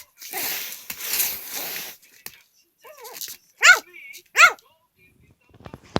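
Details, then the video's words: Three-month-old puppy, teething and mouthing, gives short high yelping barks indoors: one soft arched yip, then two sharp, louder yelps about a second apart, after a stretch of rustling noise. "3개월 아기강아지의 짖는소리/우는소리/이갈이/입질"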